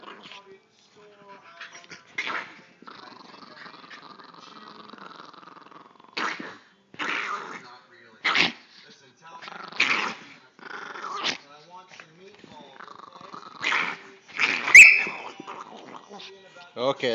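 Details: Pepe the Chihuahua, said to sound like Donald Duck, playfully attacking Rocky, a German Shepherd mix, indoors: raspy, squawking growls in short bursts of one to two seconds, mixed with a man's voice scolding and telling the dogs to stop.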